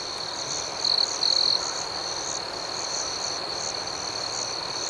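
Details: Night crickets in a natural setting produce a dense, steady high trill with quick pulsing chirps, plus two brief louder shrill notes about one second in.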